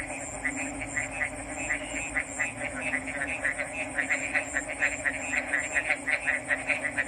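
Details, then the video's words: Frogs calling in a dense chorus: rapid, evenly pulsed croaks repeated several times a second over a steady hum and a thin high whine in the background. "RELAXING ORIGINAL FROG'S SOUNDS"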